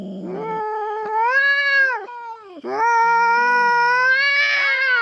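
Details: Feral cat, rarely seen, trespassing on farm cats' territory in the Philippines and squaring off with a black cat; continuous drawn-out yowling with bending harmonics, briefly dipping into a lower growl before swelling again.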